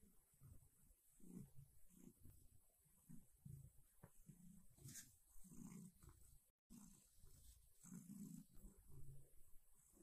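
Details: A silver tabby cat kneading a soft blanket purrs quietly. The sound is a low, rumbling throb in soft rhythmic pulses with brief pauses, over faint background hiss.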